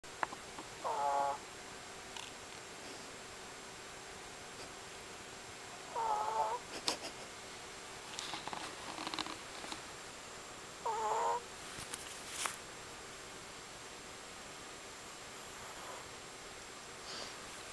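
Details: Long-haired Chihuahua napping indoors while another dog sits on his neck; short squeaky, whistling breaths recur about every five seconds against a quiet room hum.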